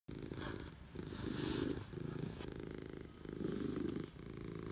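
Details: Pet cat purring steadily indoors, a low rumbling vibration that swells and fades with each breath, roughly two long surges in under five seconds, with quiet room noise behind.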